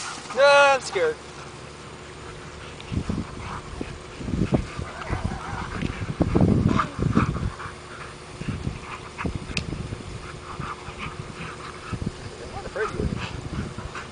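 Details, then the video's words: Two Rhodesian Ridgebacks, Mika and Khoi, wrestling in play in a yard; rough low growls and huffing bursts come in irregular clusters, with a brief high squeaky whine near the start and steady background hum. "Ridgebacks Wrestling"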